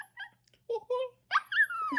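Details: A Chihuahua "sings" in a string of brief, wavering high howls, ending with a longer note that glides slowly downward; a person's voice may be mixed in briefly.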